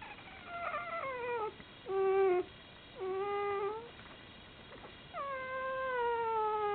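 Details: Four whimpers come from one-day-old Komondor puppies of litter F: the first slides downward, the middle two are short and level, and the last is long, dropping slightly, with strong harmonics and a soft background hiss.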